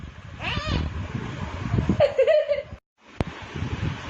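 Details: Domestic cat giving a short, wavering, mid-pitched meow about halfway through, preceded by a brief higher cry, with low background rumble, a moment of silence and a sharp click near the end.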